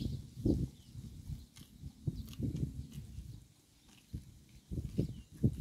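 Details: Cow grazing on roadside grass, recorded up close: low, thudding chewing and crunching bursts in uneven clusters, with quieter pauses between mouthfuls and faint outdoor background hiss.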